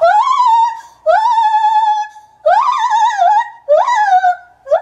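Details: Captive male white-handed gibbon Kotaro, nine years old, at Maruyama Zoo, filmed 27 January 2014: long, powerful hoots that swoop up then hold and quaver, four drawn-out notes separated by short breaks.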